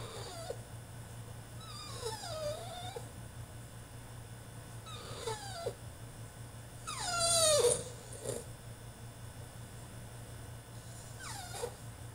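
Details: Tantrum from a male French Bulldog shut in his cage: a run of loud, descending whines and yelps, one especially strident burst midway, over a faint low hum.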